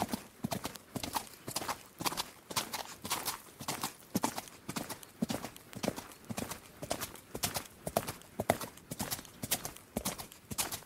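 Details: A horse at the gallop, its hooves pounding in rapid uneven bursts of clustered knocks that repeat about twice a second, loud and dry against a quiet background.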